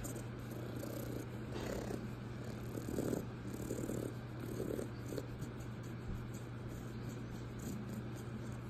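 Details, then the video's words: Raccoon purring like a cat: a soft, low rumbling purr with faint throbbing bursts every second or so, under a steady low electrical hum. "Raccoon purring like a cat!"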